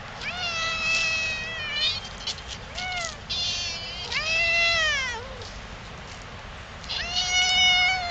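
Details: Stray cats in a Yokohama park in Japan, approaching a person although they normally keep away from people, give loud, drawn-out meows. The meows rise and fall in long arcs, about five in eight seconds, over a steady outdoor hiss.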